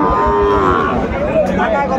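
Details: Sahiwal bull calves at a cattle market in Chuadanga, Bangladesh, on 16 January 2025; one long, low, harmonic moo lasting about a second and a half, over loud market chatter and crowd noise.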